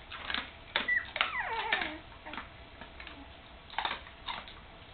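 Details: Almost three-week-old puppies with their mother Candy, just opening their eyes and starting to wobble about; a thin descending whine with harmonics sounds near the middle, amid scattered clicks and tapping in a small room.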